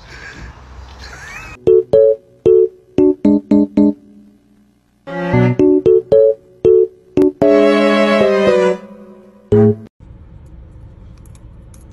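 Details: Bouncy electric piano music plays in short punchy chords with brief pauses, and no animal sound is present.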